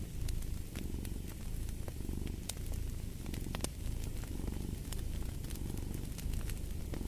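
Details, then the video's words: Cat purr in a dense low rumble, rising and easing in short breath cycles roughly each second, accompanied by bright pops and crackling from a fireplace. "Fall asleep to the Purring of a Cat"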